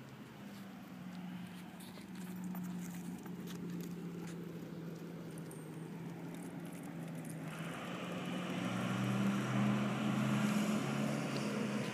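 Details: A vehicle's low engine hum drones throughout and swells louder toward the end as it approaches, with no barking or other animal sound.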